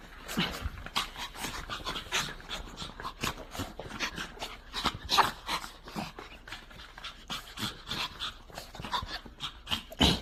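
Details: Dogs greeting an aunt they have not seen for a week, excited rapid breathy panting in quick irregular bursts, with faint whimpers and rustling movement.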